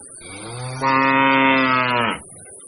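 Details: Large bull in Pakistan giving a single long, loud moo of about one and a half seconds, steady low harmonic tone that swells then cuts off sharply, over faint background hum.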